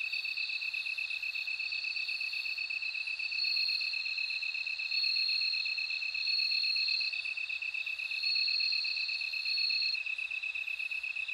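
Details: High silvery bell cricket trills come in one- to two-second phrases, separated by short pauses, layered over a continuous pulsed chorus of other insects.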